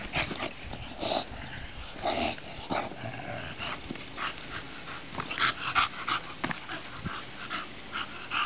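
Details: Bulldog named Bonita playing in the sun, giving short breathy grunts and snorty bursts at irregular intervals, some with a brief higher yelp-like tone, over a steady rustling background.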